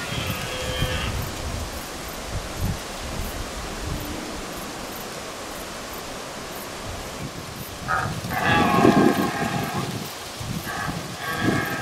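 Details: Lone red deer stag calling loudly during the rut on Hiiumaa, Estonia, in 2019: drawn-out hoarse, harmonic roars, one brief at the start and a longer, louder bellow near the end, over steady wind-like rumble.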